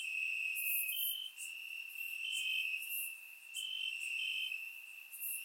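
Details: Night chorus of crickets in summer grass, Bulgaria: continuous shrill ringing tone, broken by slightly higher pulses roughly every second, with scattered sharp higher chirps overhead.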